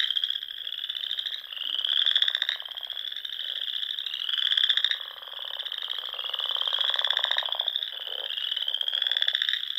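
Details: Spring chorus of frogs from Nebraska's Sandhills ponds at dusk: steady, high, buzzy trilled notes overlap continuously, rising and falling in loudness, with softer low pulsed croaks underneath.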